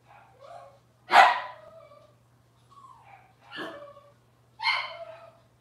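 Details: Cavalier King Charles Spaniel puppies from Robin's litter on an indoor kitchen cam: sharp harmonic yips at irregular intervals, separated by soft, tonal whines that rise and fall, with quiet gaps between calls.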